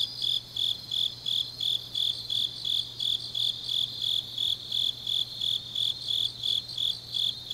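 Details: Grass insects singing on a deep autumn night in Changnyeong, South Gyeongsang, Korea: sharp high chirps pulse steadily about three times a second, layered over a continuous, higher buzzing trill from other insects.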